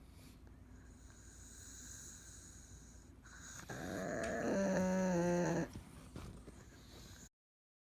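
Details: Aged pug that now needs care, deeply asleep with open eyes, after soft breathing lets out a single short nasal snore, a wavering hum lasting under two seconds, then fades back to quiet breaths.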